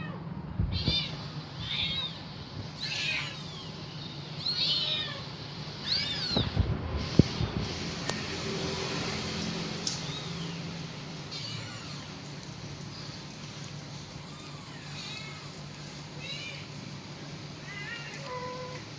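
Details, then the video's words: Kitten calling for its mother: a burst of loud, clustered mews early on, then softer, scattered high mewing calls fading toward the end, with a few knocks and a constant low hum behind. "suara anak kucing manggil induknya"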